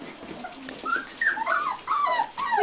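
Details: Buff American Cocker Spaniel puppies whimpering and yipping: several short high whines that rise and fall, coming in bursts through the middle and end, with a person's voice faintly beneath.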